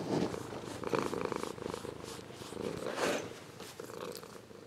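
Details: Ragdoll cat, grown from a kitten, purring: a buzzy, pulsed rumble with louder swells at the start and again after a few breaths, fading softer at the close.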